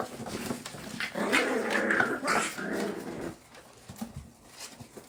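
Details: American Bully puppies playing indoors in Oklahoma: a sustained nasal whining growl of about two seconds with wavering pitch, then quieter scuffling and faint thumps.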